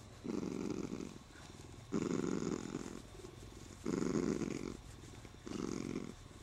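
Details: A spoiled, happy Siamese cat purrs steadily while being stroked and holding its owner's arm, the low rumbling swelling and fading with each breath.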